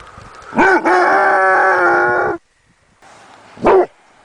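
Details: Basset Hound puppy letting out a long, drawn-out, tonal baying howl of nearly two seconds, then a pause and a single short, sharp bark near the end.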